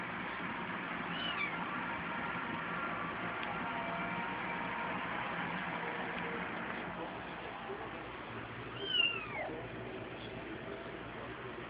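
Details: Ten-day-old kittens, born to stray and feral cats in a neighborhood, playing; high thin mews at the start and two clearer rising-falling mews near nine seconds, over a steady broadband hiss.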